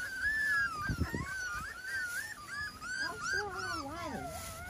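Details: Five-week-old Miniature Schnauzer puppies on a deck with their parents on a Sunday morning, 9 May 2021, whine in thin, wavering, high-pitched tones that rise and fall almost without pause.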